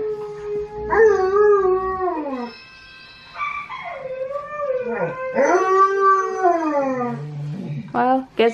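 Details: Siberian Huskies at home join Tonka the Malamute's howling on TV: long, clear, tonal howls that slide downward, dip and rise again, several drawn-out notes in sequence, ending with short sharp upward yelps.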